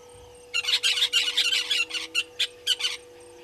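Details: Painted dogs (African wild dogs) twittering at a waterhole on Djuma Game Reserve in South Africa's Sabi Sand Wildtuin, captured by a fixed live camera on 04/03/2022 at 17:49; a dense run of high, bird-like squeaks, then spaced single chirps.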